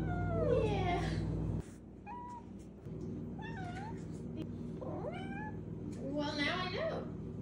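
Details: Five-month-old female Maine Coon kitten giving a string of short, rising and falling meows and chirps, one every second or so, over a rumbling purr, with a louder drawn-out meow to finish.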